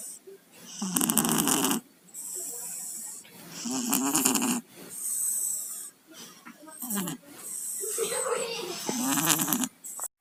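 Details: Sleeping pet cats Tayen and Lilu, both suffering colds, produce loud rasping snores, each breath a gurgling, nasal burst of around a second, repeated at uneven intervals with brief silent pauses between.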